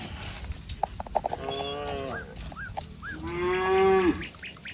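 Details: Cattle in a wet rice field, a calf seeking its mother: quieter, brief moos, ending in one clearer steady moo, mixed with short arched bird calls and a few clicks.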